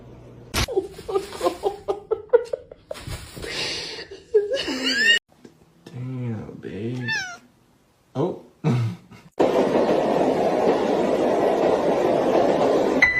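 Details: House cat meowing in quick short bursts, a run of rising-falling mews, then arched cries broken by gaps, with people talking and laughing around it and a burst of broadband noise at the end.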